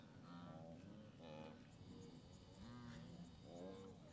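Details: Migrating blue wildebeest at the Moru Kopjes in the western Serengeti, 7 April 2012; a few short, buzzy, nasal grunts overlap, with a quieter lower moan and a constant low hum beneath.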